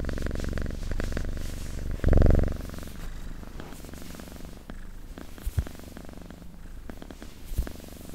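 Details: Close, ASMR-style recording of a purring cat: a strong, pulsing rumble at first, one brief louder burst, then the purr softens and fades under light clicks and rustles.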